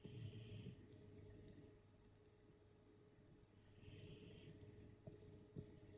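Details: Pet dog Sacsha asleep indoors, giving low rumbling snores with a rough, rattling breath and a slight hiss above, in two long drawn-out pulls separated by a quieter pause.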